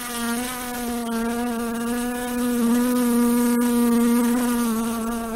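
A fly's steady, droning buzz holds one low hum throughout, swelling slightly in the middle.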